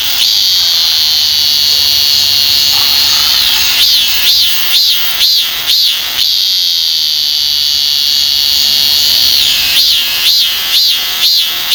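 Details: Korean cicada, one of the most commonly seen cicadas in Korea, singing: a steady high buzzing drone breaks into a run of pulsed, swelling notes about twice a second, returns to the drone, then pulses again near the end.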